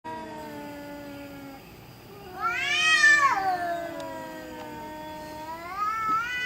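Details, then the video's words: Domestic cat making spooky noises in the middle of the night: a long, drawn-out, wavering yowl that swells to a loud rising-then-falling wail around the third second, with quieter moaning tones before and after in a still room. "Cat Making Spooky Noises Middle Of Night"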